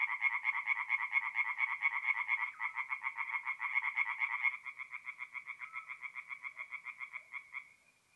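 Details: Singing tree frogs at a forest pond by night, mid-April, north-east Italy; loud, rapid rattling croaks from several frogs, thinning after about four seconds to a quieter pulsing series that fades out at the end.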